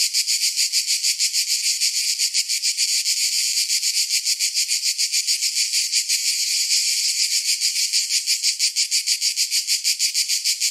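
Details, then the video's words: Cicadas singing in summer: a loud, dense, high-pitched buzzing chorus that throbs steadily at about three to four pulses per second throughout, with no other sounds. "Summer Cicadas Sound"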